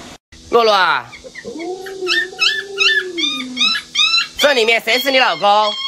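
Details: Alaskan Malamute Luoluo, a pet dog startled by its masked owner, gives a sharp falling yelp, then a long steady howl lasting over a second, followed by a string of quick high yips and a final wavering cry.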